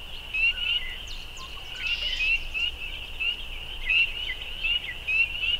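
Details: A really loud bunch of spring peepers: short, clear, upward-sliding peeps repeat every half second or so against a constant high-pitched chorus, with a brief noisy burst near two seconds.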